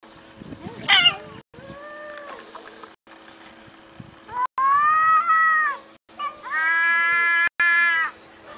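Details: Domestic cats in a compilation meow in long, harmonic-rich calls; two loud sustained meows in the second half hold a steady pitch, after a short squeal and quieter rising mews, with a faint constant hum underneath.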